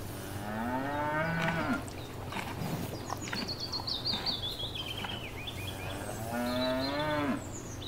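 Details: Cows mooing while grazing in a field: two rich, drawn-out moos at the start and end, with a bright chattering run of birdsong between them.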